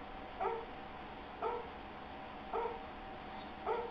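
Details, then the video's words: Astor the Airedale Terrier, confused, gives four short, nasal whimpers spaced about a second apart, each a brief harmonic squeak over a quiet room background. "Airedale Terrier Getting a bit confused"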